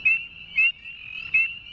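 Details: A male Northern spring peeper treefrog gives sharp, high, rising peeps, with a steady chorus of other peepers behind.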